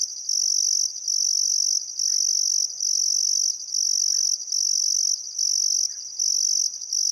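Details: Crickets chirping at sunset beside the Barcoo River in Outback Queensland's Welford National Park during summer, an unbroken high ringing trill with regular short pauses, plus a few faint short bird notes.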